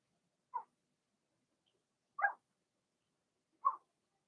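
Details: Blenheim Cavalier King Charles Spaniel puppies, first litter of their mother Remy, six pups whelped March 7–8, in an indoor pen. Three brief soft yelps about one and a half seconds apart, with silence between.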